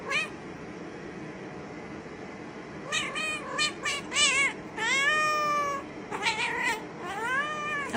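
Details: Domestic cat out in the snow, giving a run of short, wavering meows from about three seconds on, then a longer drawn-out cry and a few more rising-falling mews, over a low background hiss.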